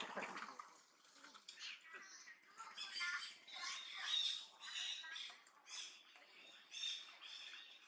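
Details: Loud shouting from Duchess, a macaque living around Angkor near Siem Reap, Cambodia, as an enemy approaches. Raspy, high screeching bursts arrive about once a second, rising and falling in loudness.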